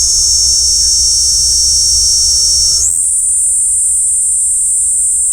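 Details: Kaempfer cicada picked up through a parabolic collecting microphone, its unbroken shrill hiss-like buzz stepping suddenly up in pitch midway and staying at the higher level to the close.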